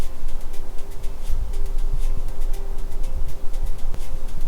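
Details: Loud, continuous low rumbling noise with a faint steady hum; no animal sounds are heard.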